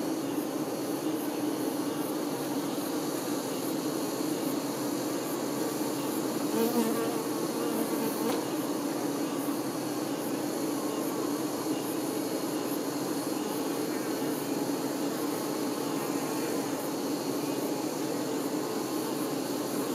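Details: A mass of honey bee workers caring for their queen drone in an even, low-pitched hum, unbroken for twenty seconds, with a slight swell near seven seconds.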